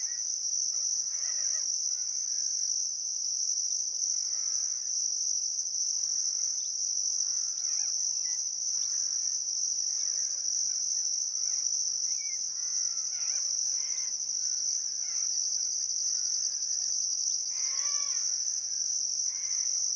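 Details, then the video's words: Sunset cricket chorus by the Barcoo River in Welford National Park, Outback Queensland, in summer: continuous high shrill drone plus a rapid pulsing upper trill, with soft harmonic bird calls scattered throughout. "Australian Sunset Chirping Crickets"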